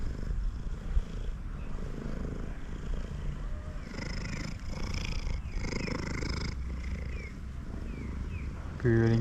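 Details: Male cat purring loudly while eating, a low continuous thrum partly masked by a man's voice speaking in the middle seconds.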